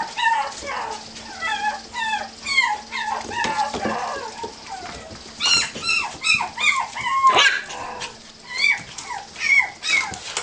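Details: Puppies playing freely together, a busy stream of high whimpers, yips and squeaky rising-falling cries overlapping from several young dogs, with occasional short growls.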